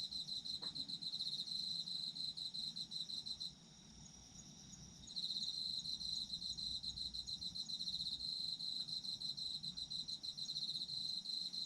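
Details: Chorus of autumn insects recorded for sleep, led by a loud rapid cricket trill that pauses for about two seconds near the middle, while quieter insects keep singing higher up throughout.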